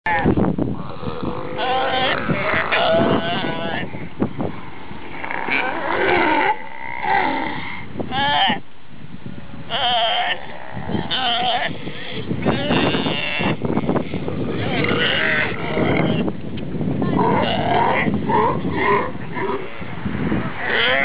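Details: Galapagos sea lion families, wild and close by in the Galapagos, where fights occur. They give a dense, overlapping chorus of loud, harmonic, bleating and barking calls with almost no pause. Voices may also be present.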